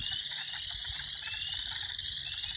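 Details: A dense chorus of spring peepers in Minnesota, countless high, piercing peeps blending into a continuous shrill ringing.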